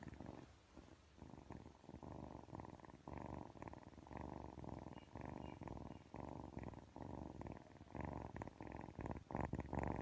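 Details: Continuous low, throaty purring from a cat held close, a thick vibrating rumble pulsing with each breath and growing louder toward the end, with nothing else audible.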